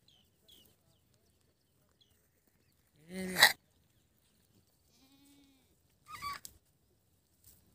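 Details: Young goat kids calling in a quiet setting: one loud, short, wavering bleat, then a higher, thinner bleat about three seconds later, with faint soft sounds between.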